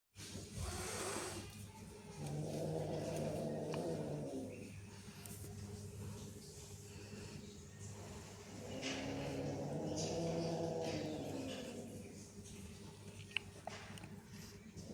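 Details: Cats growling at each other: two long, wavering, low-pitched growls rise and fall over a few seconds each, separated by a quieter pause, with a steady low hum in the background.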